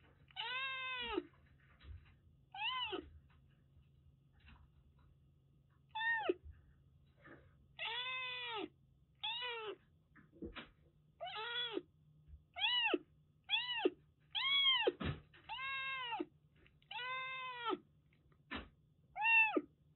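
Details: ['Rescued Siamese mix kitten, a former stray in Kagoshima, Japan, meowing indoors: about a dozen clear, arched meows with rich harmonics, each under a second, repeated irregularly over twenty seconds against a low steady hum.']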